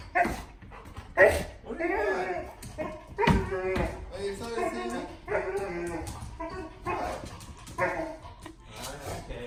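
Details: Charlie, a Golden Retriever, makes weird Chewbacca-like drawn-out, warbling whines and grumbling moans in excitement, with a woman talking.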